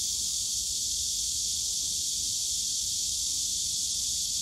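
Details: Cicadas in the bamboo grove of Yongsan Family Park on a summer day, a dense, unbroken high-pitched shrill drone that holds steady throughout, with a faint low rumble of park background beneath.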